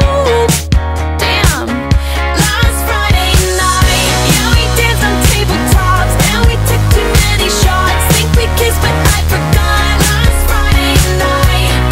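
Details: Loud pop music with a steady beat fills the whole stretch, and no animal voice is heard.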